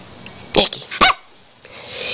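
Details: Pet female Siberian Husky, apparently trying to tell her owner something, lets out two short, sharp bark-like yelps about half a second apart, with quiet room noise between them.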